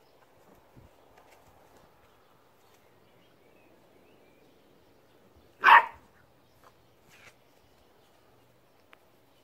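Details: A nine-week-old female Beagle puppy playing with a basketball for the first time, rolling it and herself, gives one sharp, loud, high yelp-bark midway through; otherwise quiet, with faint soft thumps and rustling indoors.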